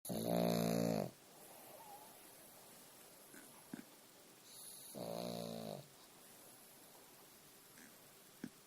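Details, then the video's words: Pug snoring at rest indoors: two loud rattling snores, each about a second long, separated by quiet breathing, with faint clicks between. "Snoring pug!"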